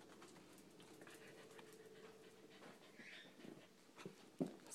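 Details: A female corgi gives a drawn-out, growly groaning whine on command, a "Chewbacca" noise she first made in the mornings and was trained to produce, with a person's voice in the room.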